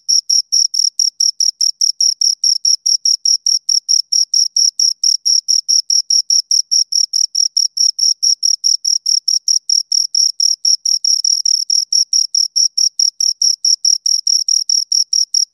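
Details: Continuous cricket chirping from two insects, a long train of sharp high-pitched pulses at roughly two or three per second, steady in loudness throughout with a silent background.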